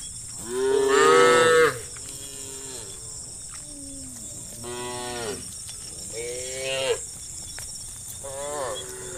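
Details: Cattle on a road, part of a herd of hundreds being moved along: a loud bellowing moo opens, followed by several softer, wavering moos from other cows spaced a second or two apart, with constant high hiss behind.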